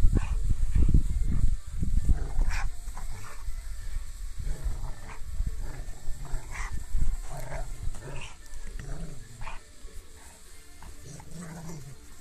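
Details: Rottweiler named Rocky playing with his rope, making deep, rumbling growls in irregular bursts, strongest in the first seconds and fading later, with rustling and tugging sounds around them.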